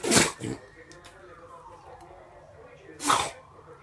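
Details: Pet dog sneezing indoors, two sharp, explosive noisy bursts about three seconds apart, each short and breathy, with a quiet hum and faint background between them.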